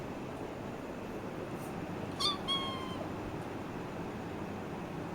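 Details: Playing kitten uttering a quick pair of meows, the first a brief sharp squeak, the second a longer, level, slightly falling cry, then quiet with a steady background hum.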